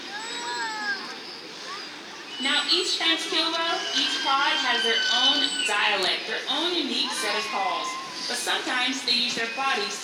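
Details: Killer whales (Orcinus orca) at SeaWorld San Diego, made with the blowhole's muscular flaps during a trained presentation, give squeaky, rising and falling harmonic pulsed calls for communication over a speaking voice; each pod has its own dialect.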